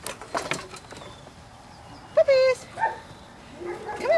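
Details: Belgian Malinois puppies, seven and a half weeks old, playing on a puppy rubble pile: a loud, sustained high whine with a falling tail, then a shorter yelp and a rising squeal, over quiet outdoor background with faint clatter.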